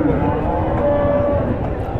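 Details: Friesian dairy cow, kept with her calf at a cattle market in Bangladesh, gives a steady low moo lasting about two seconds, dense with rumbling low tones under a faint thin whine, amid crowd noise.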